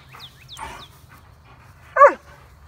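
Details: A single short, loud bark from one of four companion dogs (German Shepherd Odin, yellow Labradors Remington and Hannah, black Lab Midnight, once a stray), preceded by faint high sliding chirps.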